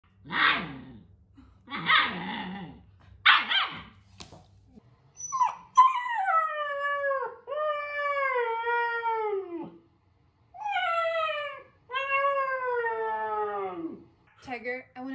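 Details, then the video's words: German Shepherd, a pet male dog, talking in his own way: three short harsh barks, then long drawn-out howling whines that glide downward with rich harmonics, repeated in several rising-then-falling phrases with brief pauses. "Watch My German Shepherd Speak His Own Unique Language"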